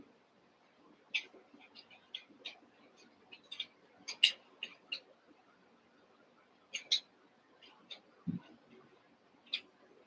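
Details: Cavalier King Charles Spaniel puppies, Daisy's six merged with Robin's two pups, playing indoors; short high squeaks and whimpers scattered irregularly, with one low grunt near the end and faint voices in the background.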